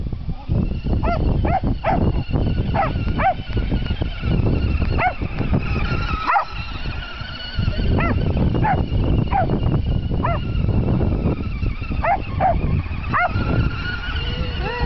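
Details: Buddy, a Jack Russell and Dachshund mix, runs after a remote-controlled monster truck, letting out clusters of shrill, arching barks roughly a second apart, a thin whining tone and low rumble running underneath.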